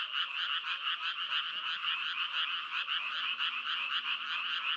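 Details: Frogs croak in a dense, continuous chorus of rapid pulsing calls, several voices overlapping in a steady mid-to-high trill with a faint low hum in the background.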